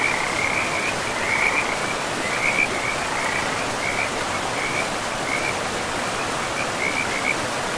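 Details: Frogs by a river deep in a pristine forest give short rattling croaks roughly once a second, irregularly spaced, over a constant wash of flowing water.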